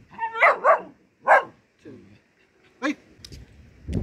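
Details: German Shepherd puppy, said to be angry with its owner, gives short sharp barks: a quick pair, then two single barks spaced over about three seconds, with a soft low grumble between and faint noises at the end.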